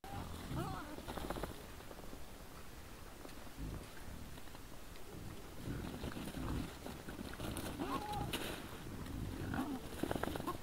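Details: Several wild boars in front of a trail camera on the evening of 17 December 2022, around 20:17, giving low rumbling grunts with short high squeals and snorts scattered through, over steady rustling ground noise.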